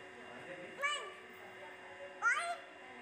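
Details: Very young tortoiseshell kitten, likely female and only a couple of weeks old, alone and hiding in a concrete pipe by an old paddock, crying: two thin, wavering mews about 1.4 seconds apart over a faint steady background hum.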